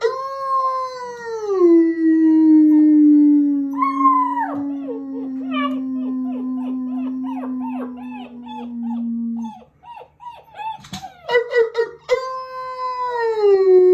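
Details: German Shepherd puppies howling together just after breakfast on 21 January 2022, joining a howl started by a person. A steady low drawn-out tone runs beneath higher wavering, yelping howls, then a brief pause before a fresh long howl rises and falls.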